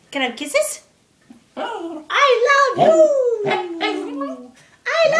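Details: Indoors, a three-year-old pugzu named Winston 'talks', copying 'I love you' with short voiced yips and then one long whining note that glides steadily downward, ending before a final brief sound.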